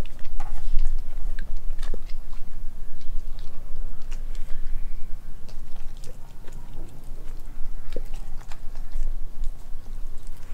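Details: Nala, an Australian Kelpie–German Shepherd mix dog, chews a raw meal of beef liver, beef heart, chicken feet, chicken thigh and homemade raw chicken nugget: steady wet mastication with sharp crunchy bites scattered throughout.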